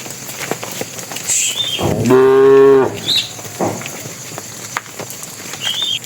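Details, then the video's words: Bull among tame cattle walking to the pen, calling the females with one sustained, even moo lasting under a second, while brief high bird chirps sound before and after. "suara sapi jantan memanggil betina"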